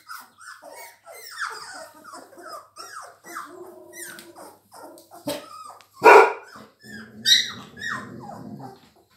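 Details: Three-week-old Labrador Retriever puppies, several together indoors, giving high whines and short yelping cries, overlapping and falling in pitch, with one louder squeal near the sixth second and a low grumbling undertone.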